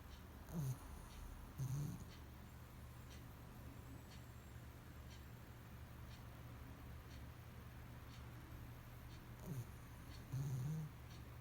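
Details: Pomeranian named Shimba snoring while asleep with eyes open; short, low, rough snorts in pairs near the start and again near the end, separated by a long quiet stretch over a steady low hum.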